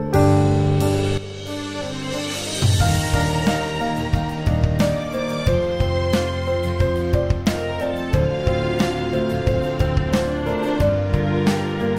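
Soft, tender instrumental music with sustained piano-like chords and low tones; no animal voices.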